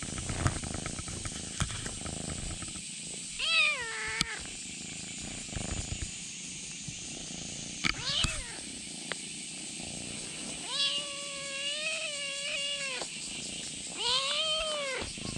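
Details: Kitten clinging to a bag, demanding its contents: a series of rising-falling harmonic meows, one long drawn-out cry near the middle and a sharper one at the end, with rustling and handling noise between calls and a steady high background hiss.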